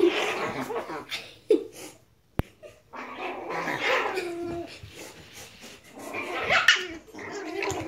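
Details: Playing Chihuahua puppies make noisy scuffling growls and small yips, a sharp click and short pause in the middle, then another rising burst of squeaky grumbling toward the end.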